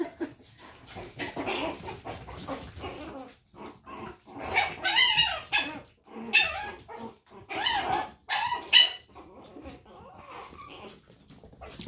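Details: Young Chihuahua puppies in a litter, one teasing the others out of jealousy; thin, high-pitched yapping barks with rising and falling whiny tones come in uneven bursts, separated by short pauses and scuffling.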